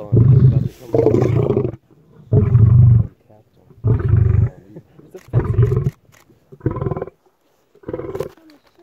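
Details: Deep lion roar sequence: loud, rumbling grunts near one second long that come at slowing, uneven intervals, with the last few bursts shorter and quieter.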